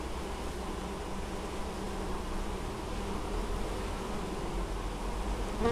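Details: Many honey bees busily gathering honeydew at a Polish apiary in Moszczanka, Opole region, 19 August 2013; continuous low droning swarm hum, even in loudness throughout.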